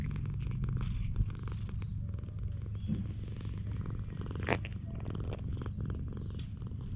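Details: Stray cat on a cat island being affectionate, purring: a steady, deep, continuous rumble throughout, with light rustling and a brief scrape in the middle; filmed on a GoPro.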